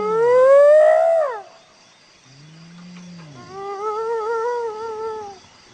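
A hyena gives a loud rising whoop, then a low hum and a wavering, quavering tone.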